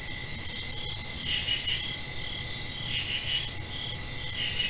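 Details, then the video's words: After rain at night, crickets keep up a dense, even, shrill trill while rapid three-note chirp bursts break in twice and once more near the end; soft background hum. "Crickets Chirping"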